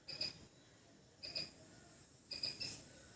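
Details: A squirrel in a backyard gives short bursts of sharp, high chips, repeated about once a second.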